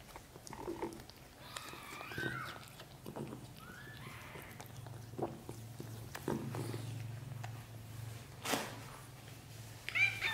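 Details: Young British Shorthair kittens, a litter of four from black golden parents, in their first 30 days. Several short, rising-and-falling mews sound in the first half over a steady low hum, with scattered clicks and a sharp knock near the end.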